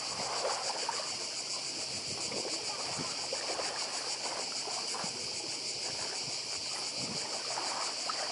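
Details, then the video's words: On Badija island in Croatia, cicadas keep up a loud pulsing buzz throughout, mixed with the soft roar of the sea and water splashes. "Cykady i szum morza w Chorwacji"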